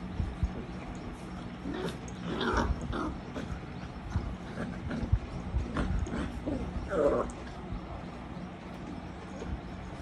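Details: Great Dane puppies, 45 days old, give short grunting whimpers and squeaky yelps in scattered bursts over low background rumble.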